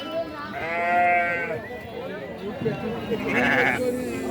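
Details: Sheep at the weekly sheep and goat market of Chillakallu, 8 June 2024; a wavering, harmonic-rich bleat lasting about a second, then a shorter higher bleat, over loud crowd chatter and talking.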